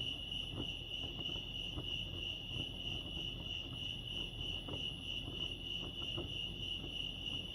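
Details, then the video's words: Crickets chirping at Lake Arrowhead, California: a steady, unbroken high-pitched trill with faint overtones above it, over a low background rumble and soft scattered clicks. "Serenity sounds crickets chirping lake arrowhead"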